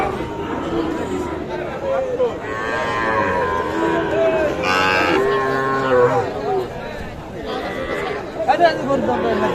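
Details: Cattle at Aftabganj market in Dinajpur, Bangladesh, where Sahiwal calves are traded; a few overlapping moos, one strong and rising then falling, set against dense crowd chatter and haggling voices.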